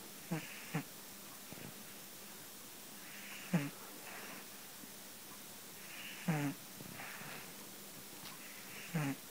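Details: Deeply asleep cat Tetsu-kun snoring steadily: raspy low snorts with hissy exhales, some in quick pairs, recurring every two to three seconds over a faint constant hum.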